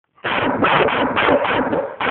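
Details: Female dog "talking" with her bark, said to be telling about her day, unedited; a continuous run of grumbling, yowling vocal bursts in five or six connected segments, with a short break before a final burst.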